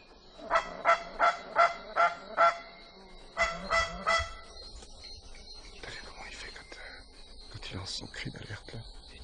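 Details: After six hours through dense Madagascar forest, an indri high in the trees opens its red-mouthed jaws and gives a very loud call, a run of harsh honking barks in quick bursts.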